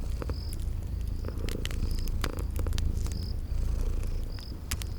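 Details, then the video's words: Cute sleeping kitties purr in a soft, unbroken low rumble, with loud snapping fireplace crackles clustered throughout and a few short high chirps from the spring garden background. "Sleeping Purring Kitties"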